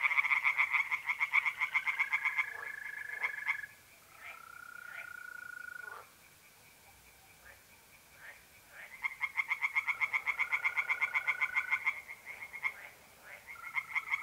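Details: Night chorus from a pond in north-east Italy, mid-April. Tree frogs deliver bursts of rapid, clicking croaks. These alternate with quieter stretches where only trilling mole crickets carry on in level, sustained tones.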